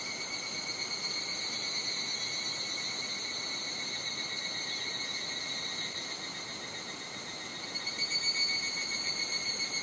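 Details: Summer chorus of higurashi cicadas at Nishigō, Fukushima, Japan: continuous high metallic ringing in several layered tones, softening midway then swelling louder near the end, with some wind hiss underneath.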